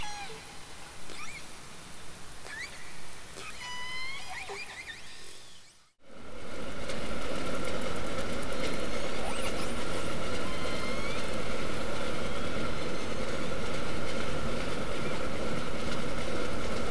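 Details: Southern resident killer whales (Orcinus orca) trade short, squealing calls that curve up and down, picked up by a hydrophone in the Strait of Georgia in July 2020. Then the loud, rumbling underwater noise of a vessel passing nearby buries them.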